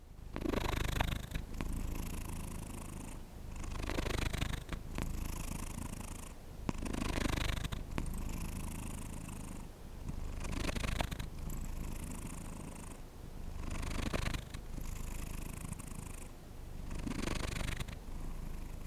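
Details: Domestic cat purring close to the microphone, a steady low rumble swelling and fading in breath cycles roughly every two seconds, with faint rustles between.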